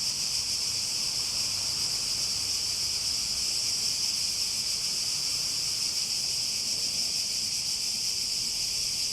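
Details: A cicada chorus keeps up a constant, piercing, high-pitched buzz, unchanging in loudness from start to finish, over a faint low-frequency murmur.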